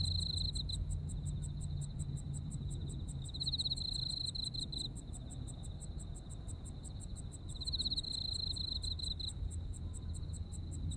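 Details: Autumn insect voices from Japan: evenly spaced high chirps run continuously, joined by intermittent buzzy trills lasting one to two seconds, with a constant low rumble in the background.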